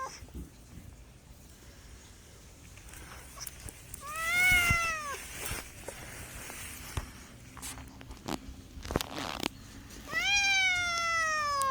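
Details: Pet cat meows twice with a gap of about six seconds: a short arched cry, then a longer one that rises and slowly falls, with faint clicks and a low hum between.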